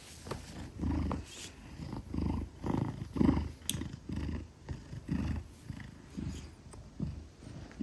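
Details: Maine Coon weighing 10 kilograms, purring trustingly while held in a person's arms; a low, rumbling purr pulsing in steady waves about once a second, with faint handling rustles.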